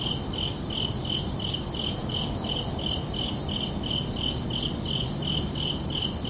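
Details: Summer night crickets: rhythmic high chirps pulsing about three times per second, a faint overtone riding above each, against a steady soft low-pitched ambient hum.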